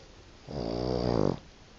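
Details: Sleeping Boston Terrier producing a single loud, buzzy, rattling snore of almost a second, steady and vibrating throughout, then quiet indoor room tone.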